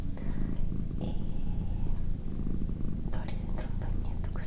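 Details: Indoors, a female pet cat keeps up a rich, low, buzzing purr with a fast regular throb, accompanied by hushed whispering and light clicking sounds.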